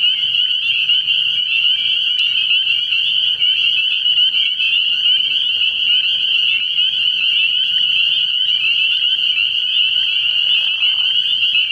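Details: Spring peeper chorus from a frog pond at night in early spring: an intense, steady blanket of overlapping high, whistled peeps, with a faint low hum and a soft lower sound near the end.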